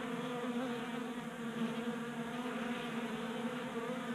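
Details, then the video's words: Many honey bees crowd a tabletop feeder in a Colorado garage on a warm January day, active while burning winter fat stores; constant buzzing drone, even and sustained, with slight swells in loudness. "45 Minutes of Honey Bees Feasting from 3D Printed Bee Feeder"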